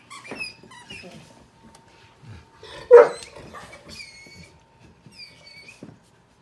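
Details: A pitbull puppy playing with a Chihuahua mix indoors: one sharp bark near the middle stands out among soft scuffles, with thin high squeaky whistles before and after and a faint steady hum throughout.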